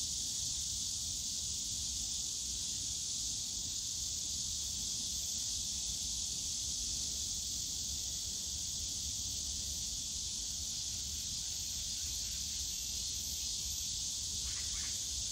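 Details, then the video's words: A steady, piercing cicada drone in the bamboo grove of Yongsan Family Park in summer, constant and even, with a faint buzzy flicker at the very end. "용산가족공원 대나무숲 매미소리"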